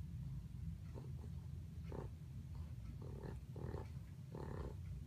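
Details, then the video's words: Sleeping pug dreaming and snorting, giving a constant low snoring rumble overlaid by a series of short nasal snorts, closer together toward the end. "Snoring/snorting pug"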